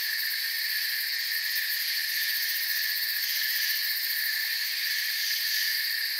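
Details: An unbroken high trilling chorus of crickets in a forest, bright and shrill in several overlapping tones, evenly loud from start to finish, with no other distinct sounds.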